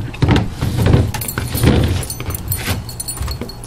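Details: Outdoor voices talk over a low engine rumble, with metallic jangling and knocks, and no animal sound.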